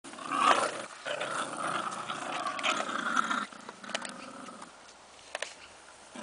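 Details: Bulldog giving a throaty, drawn-out growling vocalization with rich harmonics for about three and a half seconds, rising and falling in intensity, then fading to quieter rumbles with a few sharp clicks near the end.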